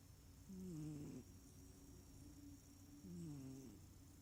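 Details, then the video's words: Small cat snoring in its sleep, not purring: two low, buzzy snoring breaths about two and a half seconds apart, each sliding slightly downward in pitch, over a soft constant hiss and a thin high hum. "Snoring smallcat"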